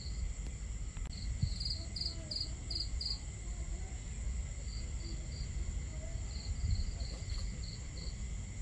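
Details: Intermittent bursts of sharp, high cricket chirps at night by a campsite under the stars, a loud run of pulses early then scattered shorter groups, with crackling fire snaps and running water below.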